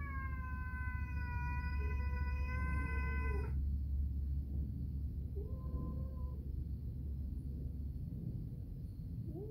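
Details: Two pet cats calling to each other indoors as food is prepared. A long sustained meow ends in a downward slide, then come short, softer meows after a pause, all over a loud low rumbling background hum.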